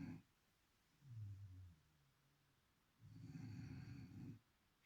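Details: A beagle named Chipi sleeping and snoring: a brief low inhale, a pause, then a longer, gravelly snore with a faint higher hum layered over it.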